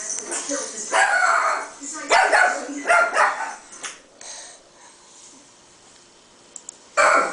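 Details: A female Chihuahua gives short, sharp, high-pitched barks in uneven bursts at a playback of her own barking, apparently thinking it is another dog.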